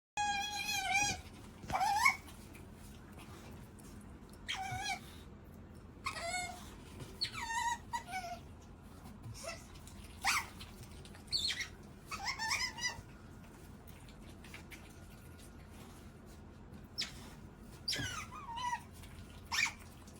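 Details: Hungry otter squeaking at lunchtime, repeated short high squeaks and wavering chirps in scattered bursts, some rising and falling, with sharp clicks between calls and a low indoor hum.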